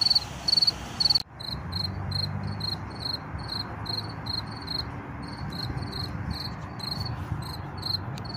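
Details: Field cricket chirping among wildflowers, found by ear but unseen; rapid high pulsed chirps repeated about twice a second, steady throughout, over low rumbling traffic and wind noise.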